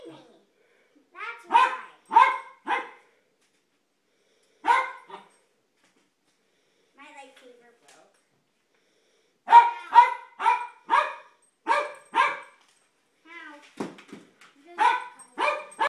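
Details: A Jack Russell terrier, worked up by kids swinging toy light saber swords, lets out bursts of loud barks in clusters of two to six. Quiet pauses separate the bursts, and faint voices can be heard.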